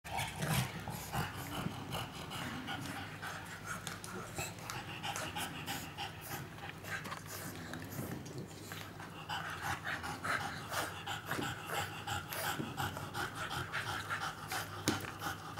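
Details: An English Bulldog puppy, born March 2013, whose hernia and adenomas have already been removed, pants and snorts in quick, rough, noisy breaths, nearly three per second.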